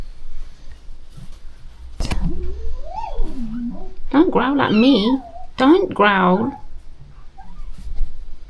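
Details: Shelter rescue cats being fed among a colony of more than thirty; several drawn-out, wavering meows rise and fall in pitch, clustered close together, preceded by a sharp knock and accompanied by human speech.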